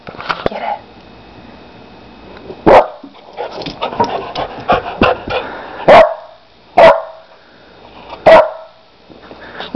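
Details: Four-month-old Labrador Retriever x Pit Bull mix puppy playing, giving single short sharp barks at uneven gaps, about four in the stretch, while a woman talks to it in a playful voice between them.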